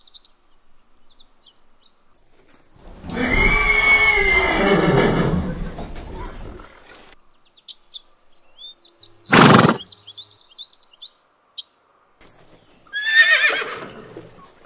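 A horse gives a loud, quavering neigh that slides downward in pitch, followed by short snorting bursts.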